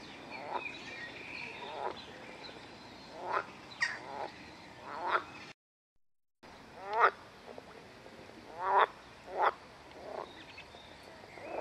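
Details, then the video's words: Edible frog, a hybrid green frog, calling in a rose park in Chorzów, Poland; loud, harsh, quacking croaks in short pulsed bursts spaced one to two seconds apart, with a brief silent break midway and faint background hiss. "ŻABA WODNA"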